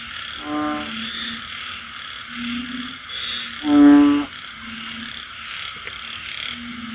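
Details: Rainy-night frog chorus in the countryside: low hums pulse steadily while one frog gives a loud, rich, buzzing croak near the middle, all under a continuous shrill insect and rain hiss.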